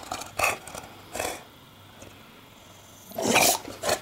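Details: Porkchop, an English Bulldog building a nest out of laundry and unhappy with the camera, gives three short rough barks spaced across a few seconds, the last one loudest, with quiet room hush between them.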